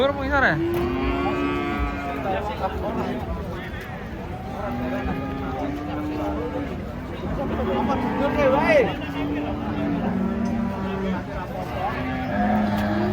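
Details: Giant cattle described as fierce being unloaded from a truck, lowing repeatedly in overlapping, drawn-out moos with steady low tones, alongside human voices and handling noise.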